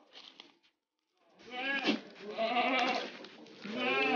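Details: Long-eared red goat kid, offspring of a Jamnapari goat, on a village goat farm; wavering, harmonic bleats run for about two and a half seconds, with a person's voice calling nearby.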